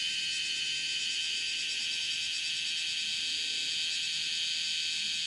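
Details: Bear cicada (Cryptotympana facialis) calling while walking on a room's window screen, 31 July 2018 at 10:03 in the morning; a dense, steady, high-pitched shrill buzz with only faint pulsing, filling the whole clip.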